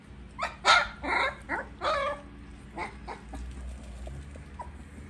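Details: Siberian Husky puppies during feeding: a quick run of five or six sharp yelping barks in the first two seconds, then a few softer squeaks trailing off into low background hum.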